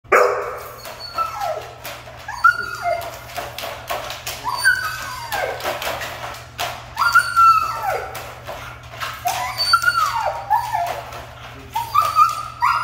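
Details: Siberian husky described as hard to train, giving bursts of high, wavering whining yelps that rise and fall in pitch, several clustered phrases across the clip, over a steady low electrical hum in a room.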